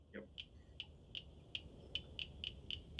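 Crisp, high clicks from a cricket frog come in a steady series that speeds up toward the end, sounding like marbles knocking together. A brief human voice is heard at the start against a low background hum.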